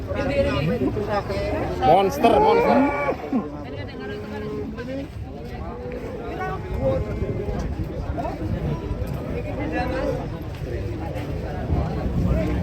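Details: During the unloading of a giant, cute cow from a swaying truck, a short strained moo rises near the two-second mark, then fades into steady crowd chatter and low rumbling for the rest of the stretch.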